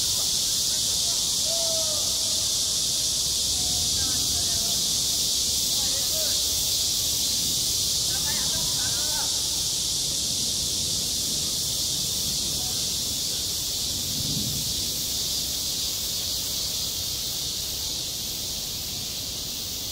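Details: Cicadas fill a school playground in midsummer with a constant shrill buzzing drone, slightly fading toward the end, while faint distant voices murmur underneath.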